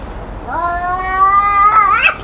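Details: Cat yowl from two cats raising their voices in a fight; one long, drawn-out wail holding steady, then rising sharply and growing harsher at the end, indoor room tone.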